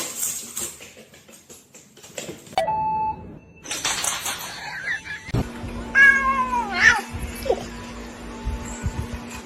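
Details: Domestic cat in a funny compilation giving a short, bright meow that slides steeply downward near the end, after several abrupt cuts of scuffling, clattering household noise and a steady low hum.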